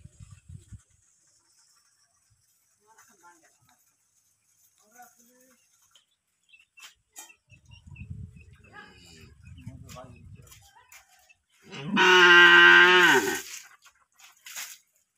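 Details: A cow gives one loud, steady, flat moo of about a second and a half near the end, rich and full-toned. Before it come quiet scattered clicks and a soft low murmur.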